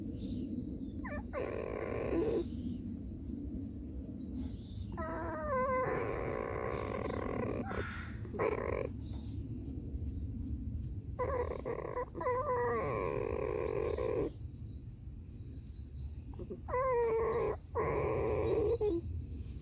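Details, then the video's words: Alice, a pet red fox, gives a series of creaky, harmonic squeals in short bursts every couple of seconds, some with wavering pitch, over a low indoor rumble. "50 оттенков рыжего скрипа"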